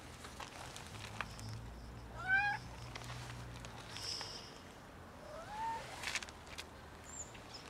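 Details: An unwell cat that cannot eat gives two clear, rising-falling harmonic meows, the first louder and the second softer a few seconds later, against faint outdoor background noise with low hum.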